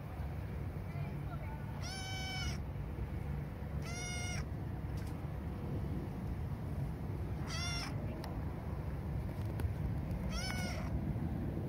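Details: Lost kitten found on a hill, apparently hungry: four loud, drawn-out meows with bright harmonics, spaced two to three seconds apart, over a constant low rumble.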